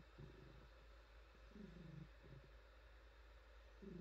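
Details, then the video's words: Frannie, a female pet cat, purring while being petted and pampered; a low, rumbling purr swelling in rhythmic bursts about every two seconds over a steady quiet background hum. "Cat Purring"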